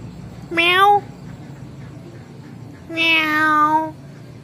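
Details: Pet kitten answering its owner with meows: one short, bright meow, then after a two-second pause a longer, steady, strongly harmonic meow lasting about a second, with faint low hum between calls.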